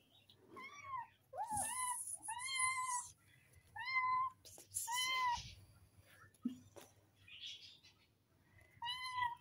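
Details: Playful kittens meowing indoors: a series of clear, high, slightly arched meows, each under a second long, repeated every second or two with short pauses between, over a faint low hum and a few soft knocks.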